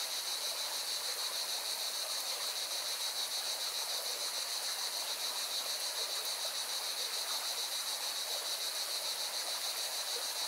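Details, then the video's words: Singing cicadas beside a mountain river in Valencia, Spain: a steady, dense, shimmering buzz with a fine rapid pulse, held high and unbroken for the whole stretch, over the broad rushing hiss of flowing water. "Певчие цикады и шум горной реки"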